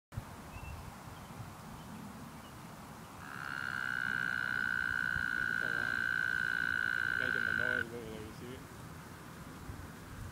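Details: Mating frogs, about fifty gathered in one spot, one sustaining a long, steady, high trill for about four and a half seconds, followed by a few low pulsed croaks against a quiet outdoor background.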